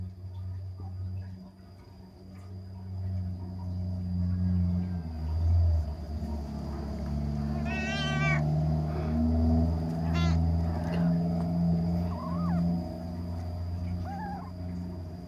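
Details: Kittens playing: a few short high meows around the middle, then two thin rising mews near the end, over a steady low hum and a constant high electrical whine.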